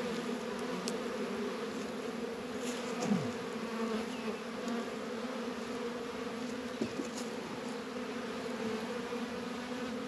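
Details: Honey bees hum steadily around beehives in a northern Kentucky apiary during a 72-degree spell in February, with a couple of soft knocks against the even drone.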